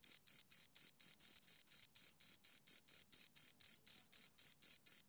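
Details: Loud, close cricket chirps from two crickets: high, ringing pulses about four per second, some slightly longer and buzzier, in an otherwise quiet setting.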